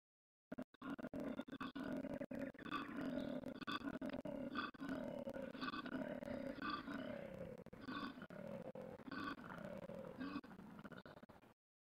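A koala gives a deep, rasping, snore-like call in rapid rhythmic pulses, about three per second.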